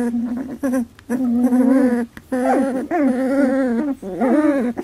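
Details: Labradoodle puppies, 18 days old, during their first milk fight: long harmonic whines and whimpers, steady then wavering, in four main bursts separated by brief pauses, indoors.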